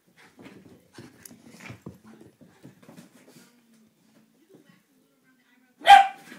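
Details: Border Terrier Eddie in a mad moment: quiet rustling and soft murmurs, a few seconds of near silence, then one sudden, sharp, loud bark at the end.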